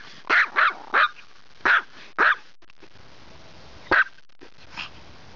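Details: Sora, a pet dog in Poland who dislikes being shut away when guests come, barking in protest at the command "do paki!": a quick run of five sharp barks, a pause, then one more bark and a softer yap.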